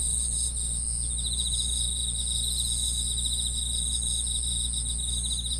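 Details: Overlapping high, buzzy-pulsed chirping from numerous grass insects forms a continuous chorus, accompanied by a low, even hum.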